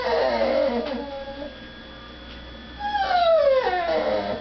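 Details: Indoor female dog crying to be let out to beg at a dinner table in the next room; a soft, breathy whimper, then a clear high whine that falls steeply in pitch.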